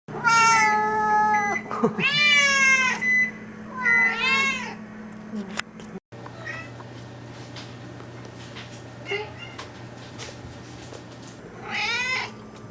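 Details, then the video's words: Domestic cat Mish Mish meowing indoors: three loud, drawn-out, wavering meows in quick succession over the first five seconds, then a quieter stretch with faint clicks and rustles before one final meow near the end, over a steady low hum. "Sounds of Mish Mish"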